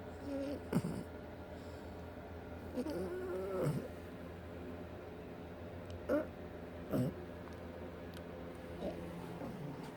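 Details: A 6-month-old French Bulldog, asleep on a chair at work at the end of the day, snores in rough, nasal snorts, with a few louder rattling breaths between quieter wheezes.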